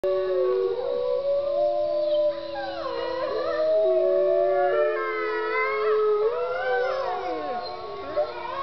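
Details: Several gray wolves at Bays Mountain Park in Kingsport, Tennessee howl together, long sliding tones overlapping and wavering up and down in a chorus.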